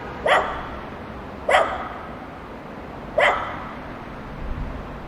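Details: Dogs barking while playing together: three sharp single barks spaced about one and a half seconds apart, with a faint lower sound near the end over a steady background hiss.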